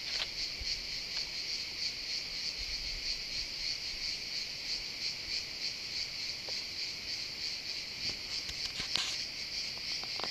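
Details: Cicadas singing continuously in pines, a bright pulsing buzz holding steady across the clip, with scattered faint clicks and a short rustling burst near the ninth second.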